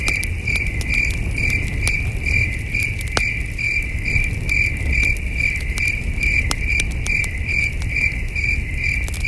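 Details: Cricket chirping on a starlit night at a camping site, a shrill pulsed note repeating steadily and rapidly, accompanied by frequent crackles of the fire and a continuous low hum.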